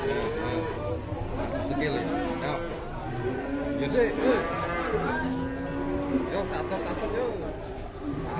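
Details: Angry cow managed by three handlers: a run of sustained, wavering moos, some overlapping, with music playing underneath and faint human voices.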